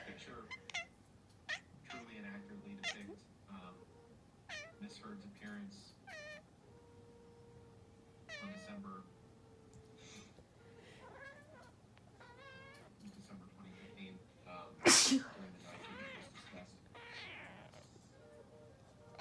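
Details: Female cat answering after a sneeze with a long run of chattering meows, many short rising-falling cries, under a steady low man's voice, with a loud sharp burst midway.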